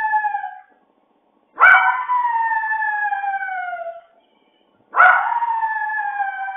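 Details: A dog left alone with nobody at home howls in wolf-like crying, long, slowly falling wails each drawn out for about two seconds.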